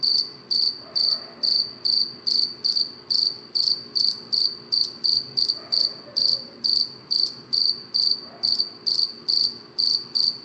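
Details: A cricket chirping at night gives a steady series of high, trilled chirps, about two to three each second, evenly loud. Faint low background murmurs are also present.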